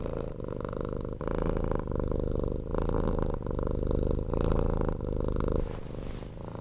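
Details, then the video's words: Domestic cat, once a street rescue, purring nonstop at close range indoors; a strong low rumbling purr in rhythmic breath cycles, ending with a soft rustle. "CAT PURRING"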